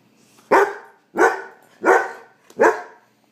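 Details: Hungry puppy insistently demanding its dinner, giving four sharp, evenly spaced barks roughly every two-thirds of a second, with a short quiet gap between each, indoors with no other sounds.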